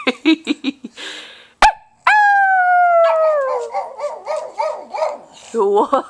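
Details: Pug howling near a fluffy puppy: quick short yips lead into a sustained, gently falling howl that turns into a wobbling, broken cry and ends in more short yelps.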